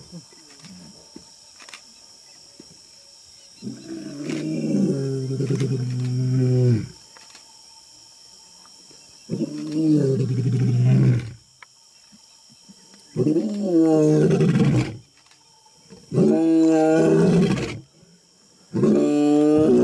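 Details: A male African lion roars in the wild: a series of deep, moaning roars, each lasting a couple of seconds with short pauses between.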